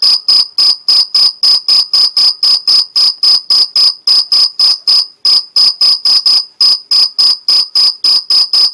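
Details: Stridulating Mediterranean field cricket, Algarve, Portugal, giving a long run of sharp, high chirps at about four per second, slightly uneven in spacing, with nothing else audible.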